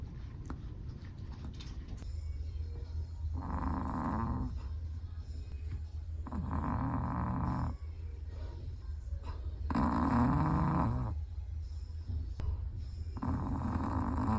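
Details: Chihuahua fast asleep, snoring in a regular rhythm: rough, breathy snore bursts of about a second each, recurring every three seconds or so, with a constant low hum underneath.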